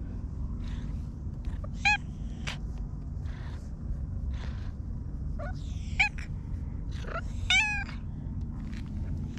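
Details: Stray park cat Hige Danshaku utters brief chirping meows, two short bright calls several seconds apart among soft clicks and scattered faint sounds, against a continuous low rumble.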